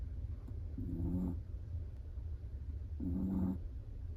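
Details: Snoring Chihuahua during sleep, two clear low, droning snore breaths roughly two seconds apart, each lasting about half a second, over faint steady room hum.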